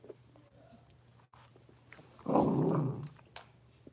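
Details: Blenheim Cavalier King Charles Spaniel puppies, a litter of five born at New Year's, indoors in their new big pen; one rough, noisy growling burst of under a second stands out over a steady low hum, with quiet shuffling before and after.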